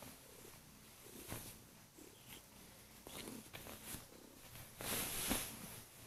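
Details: Loud purring from a female Kurilian Bobtail that jumps onto the bed each morning to wake her owner, nibbling hands softly; a continuous low rumble rises and falls, with a stronger rustling burst near the end.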